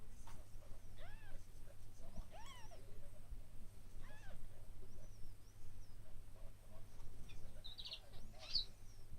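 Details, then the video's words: Newborn kittens, one day old, give a few short, arched, high mewing cries spaced a second or two apart, over a low steady hum and a faint bird chirp near the end. "ühepäevased kassipojad"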